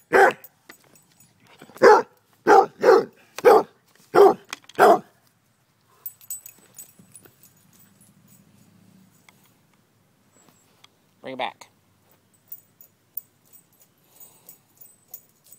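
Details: Pet dog Annie barks during a game of fetch, recorded May 28, 2012: a rapid burst of six loud barks in the first five seconds, then near silence with faint rustling and one short vocal sound later.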